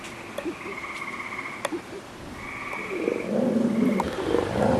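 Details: Gray tree frogs singing inside a wolf exhibit on 11 June 2010, amid lush vegetation after recent rains near summer; steady buzzy trills about a second long, repeated roughly every second and a half, with a man talking over the later part.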